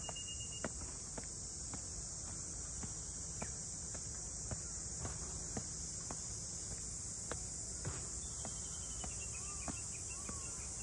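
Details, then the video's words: Cicadas in Ine, north of Kyoto, Japan, by the traditional boathouse townscape: an even, piercing high-pitched drone fills the whole stretch, broken only by light footsteps and a few faint chirps near the end. "cicadas voice"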